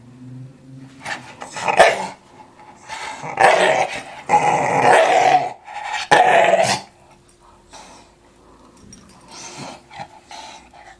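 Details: Young English Staffordshire Bull Terrier in ball play, growling in loud harsh bursts over several seconds, rising to sustained rumbling growls in the middle, then quieter snuffling and faint grumbles toward the end.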